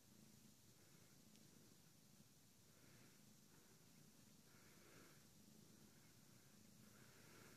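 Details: Siamese cat named Milo purring: a quiet, low rumble in steady pulses that continue through the whole stretch, set against a hissy background.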